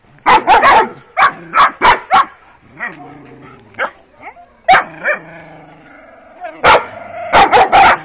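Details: Kuvasz puppies of a working line, 12 weeks old, first street walk: clusters of sharp barks at start and end, separated by quieter whines and a human voice in the middle.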